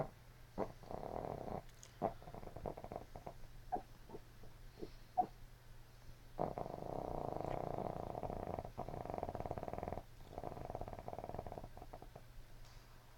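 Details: Puppy named Mandy asleep, dreaming and snoozing; a steady low rumbling snore broken by brief twitchy snorts and clicks, then long sustained buzzy snoring breaths with short pauses between them.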